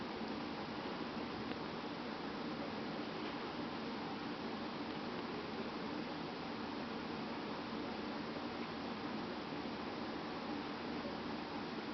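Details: A steady, even hiss fills the whole stretch with no breaks and no audible animal sounds.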